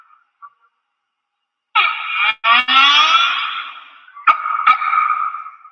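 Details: A humpback whale song unit: a long, rich harmonic wail, then brief pulses and a second drawn-out moan; these songs can last 20 to 30 minutes and are repeated.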